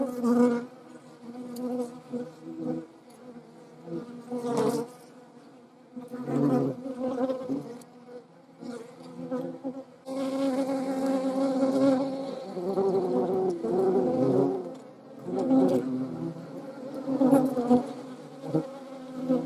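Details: Hornet in the Eifel, filmed among wasps and honey bees: a low droning wing buzz in several surging bursts, rising and fading as the insect flies near, then a steadier, louder hum through the second half.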